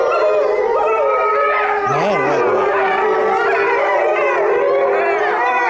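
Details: Howl of a Chinese wolf at Tennoji Zoo, recorded 23 February 2013: a steady drawn-out note runs underneath while wavering, yodel-like voices rise and fall in the middle, with possible human voices nearby.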